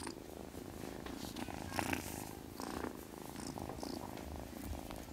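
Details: Purring from sleepy kitten Witty, an even, low, buzzing drone with quick steady pulses, plus light rustling.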